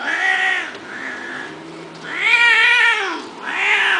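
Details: Domestic cat offered for sale, meowing loudly: drawn-out harmonic-rich meows, each rising then falling, three long calls with short gaps, clear and close with no other sounds.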